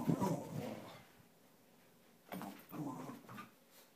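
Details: A Cairn Terrier playing around gives short, throaty whines and grumbles in two brief bursts in a small room.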